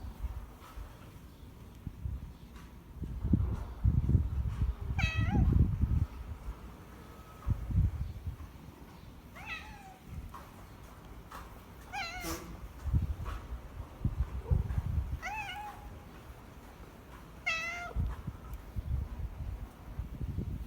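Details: Former street cat, fed in a home parking lot almost daily for four years and taken indoors in late November 2020, meowing repeatedly: about five drawn-out, falling meows spaced several seconds apart over low rumbling background noise.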